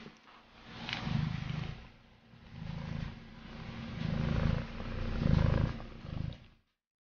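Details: Bengal cat purring close up, a deep low rumble swelling and fading in four long breath-paced bursts over about six seconds, with faint rustling between them.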